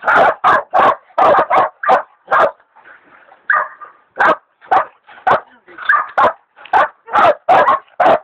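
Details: Two hog dogs, Dixie and Dollie, the leopard dog Dollie still in training, baying a big sow hog: loud sharp barks in quick bursts, a brief quieter whine-like pause near the middle, then rapid barking resumes.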